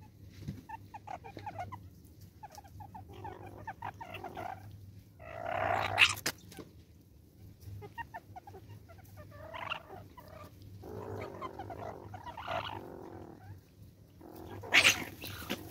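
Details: Banded mongooses in South Africa give bursts of rough, clucking chatter, rising and falling in irregular flurries over a low hum, amid forest sounds.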